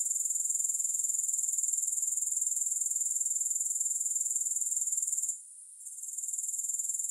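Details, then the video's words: Grasshoppers chirring with no music: a steady, high, thin buzzing trill pulsing about four times a second. It briefly drops out after five seconds, then returns a little softer. "Grass Hopper Sounds"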